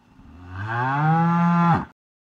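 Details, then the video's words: One sustained bovine moo from a cow: deep and droning, slowly building in loudness for nearly two seconds before ending sharply. The surroundings are otherwise quiet. "Horse, Elephant, Cat, Dog, Cow - Animal sounds"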